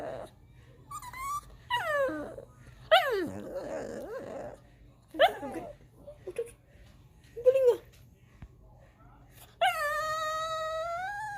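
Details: Crying pet dog at home, wanting up on the couch, gives a run of sliding yelps and squeaky whimpers every second or so, then a long steady high-pitched whine lasting nearly two seconds, with faint music behind.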